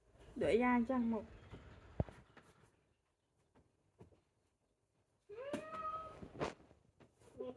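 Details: Kitten giving short high meows, a quick pair at the start, then a quiet gap, then another rising-falling mew and a brief squeak, indoors with faint clicks.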